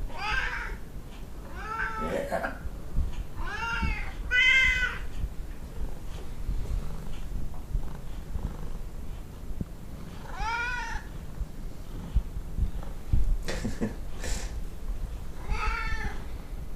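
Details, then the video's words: Vocal Tonkinese cats Lu and Barney, a domestic breed from Siamese and Burmese parents, calling with about six long, wavering meows spread over the stretch, several in quick succession at the start, with a person speaking softly nearby. "Cute talkative Tonkinese cats"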